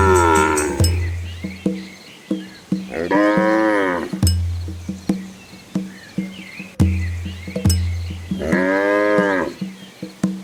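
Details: Village cows heading home ahead of the rain give long, resonant moos that swell and sag, about twice, over steady hollow clacks like bells or hooves.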